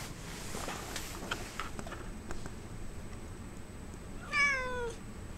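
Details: Nervous domestic cat wanting out of a kennel, 25 February 2009: after several seconds of quiet room noise and faint taps, one short, clear meow slides downward in pitch.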